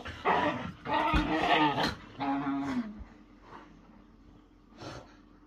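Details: Whippets wrestling in play: bursts of rough, throaty growling and grumbling in three main bouts over the first three seconds, then quieter scuffling with a short final growl near the end.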